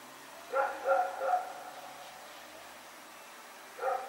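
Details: Rex, a dog running around at night in Pyrga, recorded September 21, 2018: three quick harsh barks in a rapid burst, a pause of quiet, then one more bark near the end.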